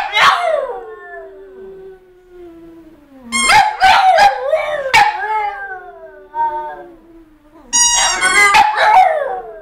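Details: Howling French Bulldogs: a long falling howl that trails off, then bursts of overlapping wavering howls mixed with yips and short barks, rising and falling in pitch.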